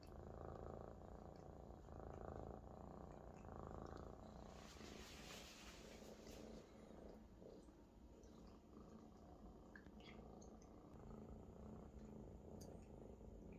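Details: Loud contented purring from a Maine Coon kitten lying on its big adult companion indoors; a continuous low rumble in slow swells, with a brief rustling burst midway.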